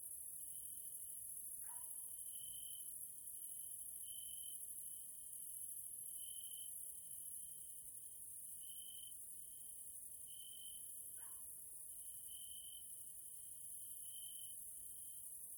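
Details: Grasshoppers (Caelifera) at evening in a Hungarian nature area: a dense, high, hissing insect chorus with a pulsing lower trill that swells roughly every two seconds, and two short, lower, dropping notes from another source.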